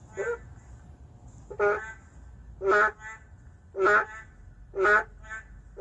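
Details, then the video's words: Calls of the endangered narrow-mouthed frog in the city: rapid series of buzzy, nasal, honk-like bursts roughly once a second, with weaker overlapping calls from a second frog between them and faint high chirps. "도심 속 멸종위기 동물 맹꽁이 울음소리"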